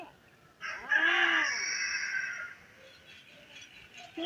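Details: Stray kittens crying for their dead mother, a single drawn-out meow that rises then falls, layered over a broad hissing noise that lingers after it before fading to quiet.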